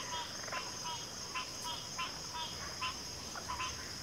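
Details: Faint, scattered frog croaks from several callers overlap irregularly beneath a loud, steady high-pitched insect drone.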